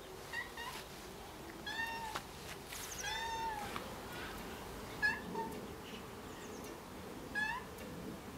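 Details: Domestic cat left alone in a garden, crying with clear, drawn-out meows repeated every one to two seconds, some falling in pitch, over a steady outdoor background hiss.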